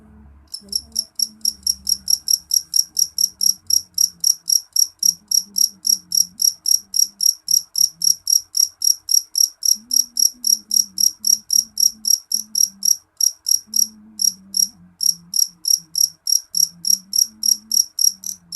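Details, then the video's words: Jeliteng cricket calling loudly: a steady run of sharp, high chirps, about three to four per second, each a short bright pulse, with brief pauses; a faint low hum underneath. "Suara jangkrik jeliteng nyaring"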